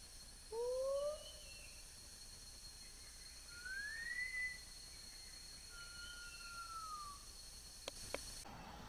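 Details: Wild Lar gibbon in Khao Yai National Park, Thailand, 12 April 2011, giving clear whistled notes: a short rising pair, then a longer note climbing high, then a long gently falling whistle, with a steady high hum and a few sharp clicks near the end.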